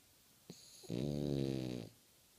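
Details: A French Bulldog, eyes open, gives one long, rattling snore, a low buzzy drone that swells and fades.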